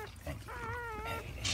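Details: Newborn Siberian Husky puppy, from a litter of eight being born, gives one drawn-out, whining squeal lasting under a second, steady then wavering and dipping at the end, over soft rustling and low background hum.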